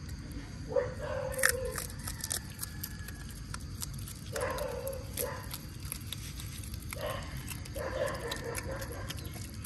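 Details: Otters at feeding time in mangroves, given mullets: scattered short harmonic yelps in pairs and clusters over a steady hiss of background noise with faint clicks.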